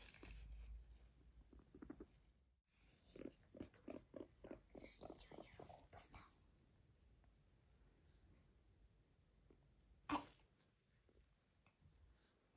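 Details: Pet guinea pig Max eating grass indoors: a quick run of rhythmic crunching bites, about two per second, in the middle stretch, then quieter munching and one sharp click near the end.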